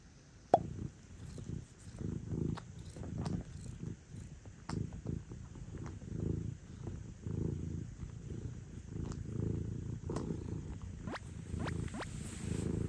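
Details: Sobbang, a male British Shorthair and only an occasional lap cat, rests for a long spell on a lap indoors; low, steady rumbling purr pulses continuously throughout, with soft rustles and faint clicks.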